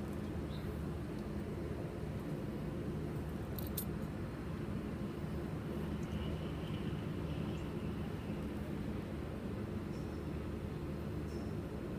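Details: Steady low rumble of traffic or machinery with faint distant clicks, no animal voice.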